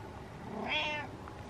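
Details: House cat producing a single short, soft meow rising and falling, said to be meowing out of horror, with a background hum.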